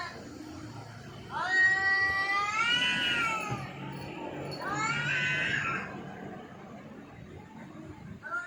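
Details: Domestic cat caterwauling: two prolonged, harmonic yowls that rise and then bend slightly, the first about two seconds, the second shorter, over low background murmur.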